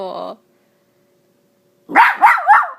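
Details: Mya, a female miniature Dachshund, speaks indoors while playing fetch with her extra small tennis ball. A brief whine cuts off, then after a pause she gives three loud, sharp barks in quick succession.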